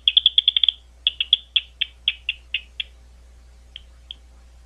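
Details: Bat at Gwynne Conservation Area, an Ohio State University conservation area outside London, Ohio: a quick rattling burst of clicks slows into spaced single ticks, then two isolated pulses after a pause; low hum underneath.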